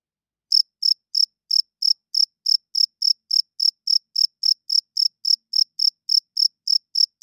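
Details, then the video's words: After half a second of silence, a cricket starts chirping at night, wings rubbed together: a long, even train of about twenty-four shrill pulses, roughly three per second, clean and undisturbed. "40 Minutes of Cricket Chirping Sounds - Cricket klinkt 's nachts luid"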